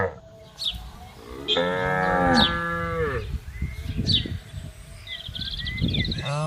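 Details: Herded cattle eating grass in an open field in the morning. One long, deep moo swells and then drops off. Rustling and scattered bird whistles follow.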